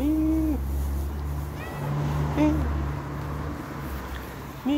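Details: Tortoiseshell cat running around and playing indoors gives short meows, a steady tone at the start, a brief bent one mid-way and another at the end, over a loud constant low hum with faint voices.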